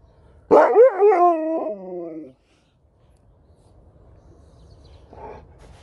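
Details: Domestic dogs, a Husky facing off with a Malamute for a treat: a sudden loud onset slides into a bending, warbling moan lasting under two seconds, followed by quiet and a faint rustle.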